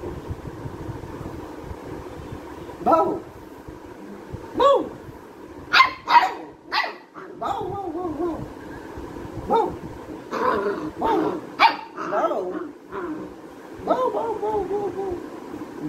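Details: Labrador retriever puppy playing and barking: intermittent sharp barks and whiny yips spread across sixteen seconds, louder bursts around six and eleven seconds, low background hum and occasional voices.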